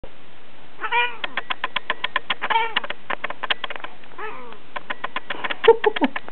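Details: A Persian cat, filmed face to face in close-up, gives three short, arching meows at about one, two and a half and four seconds, amid a steady run of sharp, clicking ticks.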